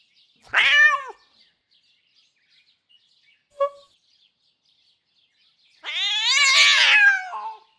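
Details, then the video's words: Jasper, a female domestic cat making enraged, crazy sounds, recorded for a cat vocal library: a short rising-falling meow, a faint brief chirp, then a long, loud, harsh wail that wavers and trails off, with silence between. "Meow - Cat Vocal Library Showcase"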